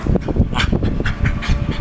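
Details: Pet dog Alfie 'talking' after being told to play dead: a close, rapid series of grumbling, whiny vocal pulses about every quarter second, with one brighter, higher-pitched burst near the start, and no speech over it.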